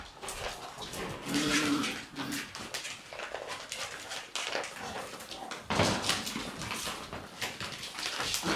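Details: Shiba Inu puppies in their puppy room, scuffling over a bag that fell from above on June 13; short whiny growls and yelps burst out among rustling and thumping, with a brief human voice.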